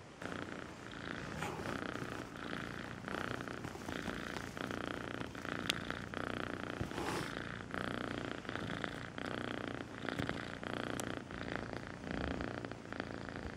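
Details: Melissa, a rescued pet cat who arrived as a two-month-old kitten, purring steadily: a continuous low rumbling drone with fine rapid pulsing, swelling and easing with her breathing, plus a few faint clicks and rustles.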